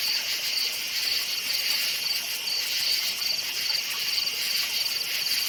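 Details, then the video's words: Crickets chirping at night in a forest: a dense high-pitched chorus of rapid, pulsing chirps repeating steadily over a constant bright insect hiss, with no other clear sounds. "NIGHT FOREST CRICKETS CHIRPING SOUND"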